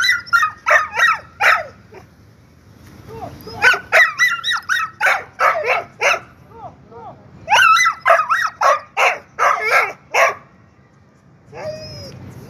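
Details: Kohati Gultair dog giving rapid runs of excited barks in two long bursts, some with a rising whining edge, broken by short pauses; a faint whimper closes the sequence.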